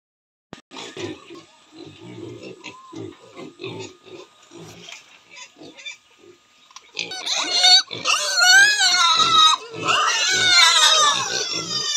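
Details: Large White (Yorkshire) piglets grunt softly in quick, low pulses, then break into loud, shrill, wavering squeals.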